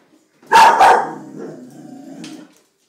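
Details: Female Vizsla dog reacting to a stink bug. A quick double bark, then a drawn-out low whining growl that fades after about two seconds.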